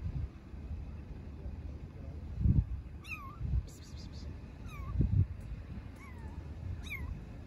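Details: Stray kitten living on the street in Istanbul calls for its mother cat. After low thuds and bumps, a run of four or five falling, plaintive meows follows in quick succession over a steady low street rumble.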